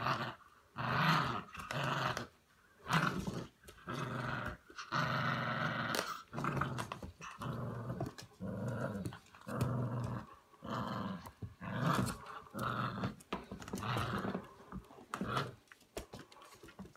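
A Staffordshire Bull Terrier growls in rough, throaty bursts, roughly one each second.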